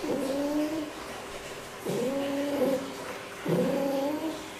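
A fox gives drawn-out, nasal, wavering calls, each under a second and repeated about every two seconds.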